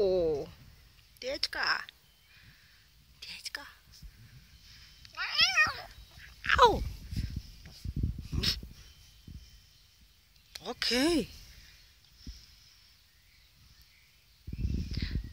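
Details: Grumpy male Russian Blue cat, taking antibiotics and maybe hurting, repeats quavering meows around five times in fifteen seconds. Each cry bends up then down, with soft human talk and thumps between them.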